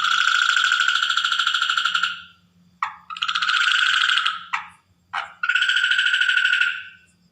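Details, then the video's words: Natural night recording of a water frog: sustained buzzing pulsed trills, the first lasting about two seconds, then short clipped bursts and another long ringing trill, over quiet faint background. "Frog Night Sound effects / Record Natural frog at Night / Water frog sound effect at Night"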